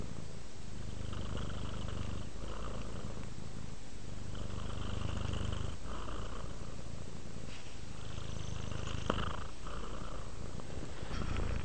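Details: Relaxed house cat purring as it settles to sleep, a continuous deep rumble rising and falling with slow breaths, with a soft click near the middle and a faint rustle near the end.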